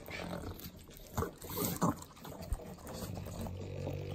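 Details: Three pug dogs in Southern California's Inland Empire eating butter treats: wet, broken snorts and smacking bursts, with a louder snuffling burst near the middle and a low rumbling background throughout.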